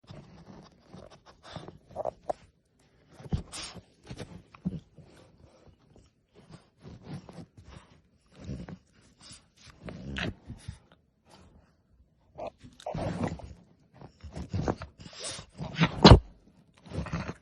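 A French Bulldog puppy lets out irregular bursts of squealing screams and snorts, begging for human food.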